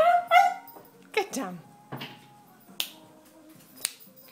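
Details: A Cairn Terrier gives a high, wavering whine, crying while begging for pizza, as a person nearby tells her to get down.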